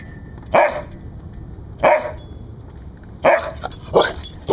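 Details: Guard barking from a rescued Siberian Husky: four loud, abrupt barks at roughly one-and-a-half-second gaps, the last two coming quicker, with faint room noise between.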